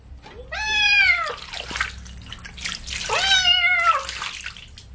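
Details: During a bath with baby shampoo, a kitten lets out two long, wavering meows a couple of seconds apart while water splashes and runs in the background.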